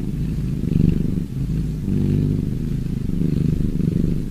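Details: Purring cat, a short stretch of low rumbling with two or three breath-paced swells, each lasting about a second, steady and close.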